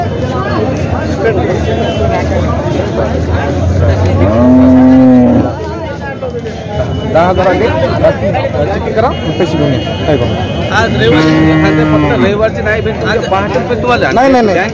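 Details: Water buffalo at the Jawla buffalo market near Parbhani, giving two loud, low, drawn-out moos with rich harmonics, one near the start and one later. A busy crowd chattering and traffic noise run underneath throughout.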